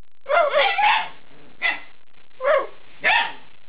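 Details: Young Alaskan Malamute puppies at eight weeks, a rough, wavering yowl-bark run at first, then three separate hoarse barks spaced roughly half a second apart.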